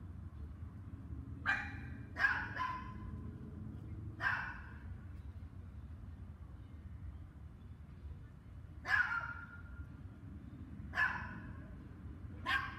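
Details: Dogs bark in short, sharp bursts, singly or in quick doubles, spaced a few seconds apart, during two hours of barking starting at 7 PM on May 24, 2019.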